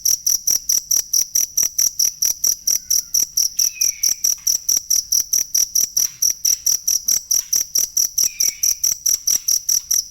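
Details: Cricket recorded as a genuine cricket sound for training songbirds: sharp, high chirps pulse steadily about four times a second, with a faint, brief descending whistle near the middle and again toward the end.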